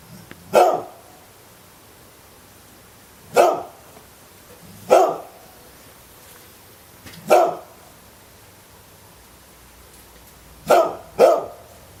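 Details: Pet dog barking: six sharp, loud single barks at uneven intervals of about two to three seconds, the last two close together, over a quiet background.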